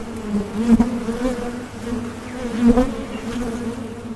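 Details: Bees buzzing in a soothing sound track, a humming drone that swells roughly every two seconds as individual bees pass close, with soft thuds underneath.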